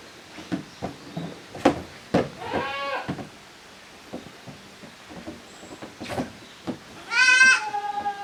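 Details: Kids of two goat mothers romping in an exercise yard on a handmade goat farm in Japan, 13 June 2023: sharp knocks and clatter, one trembling bleat early on, then a loud high bleat near the end.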